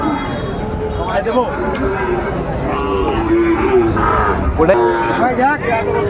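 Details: About eight-month-old Sahiwal bull calves at Ambari market, Dinajpur, 23 February, as trading begins; repeated short lowing moos, some sliding upward, break through a crowd of men bargaining over prices.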